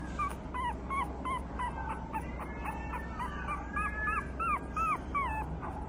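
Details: Female Boston Terrier × Pug mix puppy with a brindle coat and white chest: rapid high, thin whimpers, each a short rising-then-falling whine, repeated two or three times a second over a steady low background hum.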